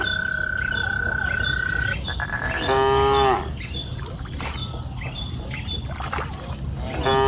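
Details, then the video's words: On a green hillside pasture in the afternoon, a long steady high whistle gives way to one short moo from grazing cattle, with another moo starting at the end amid faint chirps and field ambience. "Sound of cows mooing up the green pasture hill in the afternoon"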